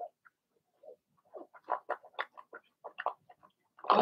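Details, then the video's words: Blenheim Cavalier King Charles Spaniel puppies from Remy's first litter of six, in an indoor puppy pen: a quick scatter of short, high yips and squeaks, bunched around the second and third seconds. "Cavalier Puppies Bark, Howl"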